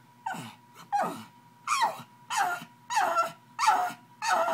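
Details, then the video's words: Angry pug trying to get to a bottle, giving short rising-then-falling whining yelps, about one every second, with brief quiet gaps between; a steady faint hum runs underneath. "Angry Pug"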